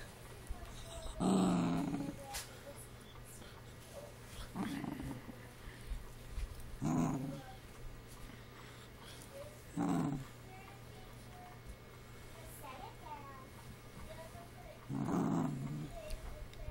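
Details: Ruby-coated female Cavalier King Charles Spaniel, a pet having a bad day, whining while someone tries to cheer her up; her whining sounds like growling. Low, rough grumbling bursts come every few seconds between quieter stretches, with faint voices in the room.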